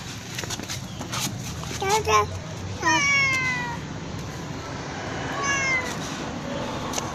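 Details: Loudly meowing black cat: a short chirp-like cry followed by a long descending meow and a fainter later one, with a person speaking and a low urban hum behind.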